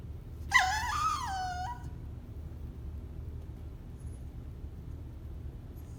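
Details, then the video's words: Cavalier King Charles Spaniel in its cage at bedtime, whining to come out; a single brief, high, wavering whine that dips and falls, followed by quiet with low background hum. "Cavalier King Charles spaniel cute whining sound"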